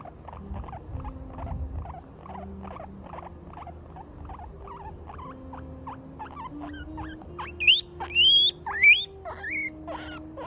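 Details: Guinea pig crying while being scratched on the right spot: a steady run of soft, short chirping notes about twice per second, then a few louder high squeaky whistles late on, over faint low hum and a sustained tone.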